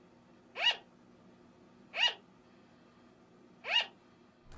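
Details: A pet sugar glider (Petaurus breviceps) gives short, sharp, yapping barks spaced about every one and a half seconds, sounding surprisingly like a chihuahua; typical sugar glider barking.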